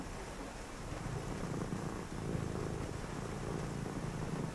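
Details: Brief stretch of a house cat's purr on a rainy night, a low throbbing drone growing slightly louder midway, with steady rain noise throughout.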